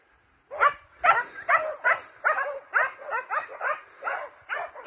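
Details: Hounds and Russo-European Laikas pursuing a wild boar. After a short silence, loud rapid barks start and repeat about twice a second, each a harsh, slightly falling yelp, clear against a quiet background.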